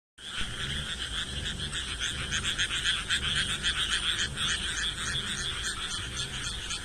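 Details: Chorus of many frogs calling together, a dense, continuous wall of rapid, overlapping pulsed croaks in a steady rattling rhythm that keeps going without a break from start to finish.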